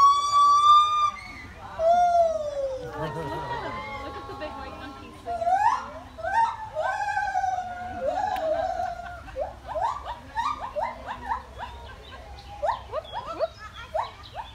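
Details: White-footed gibbons having fun at the Indianapolis Zoo: sliding, wavering whoops give way to a rapid series of short rising notes that speed up toward the end, over a steady low hum.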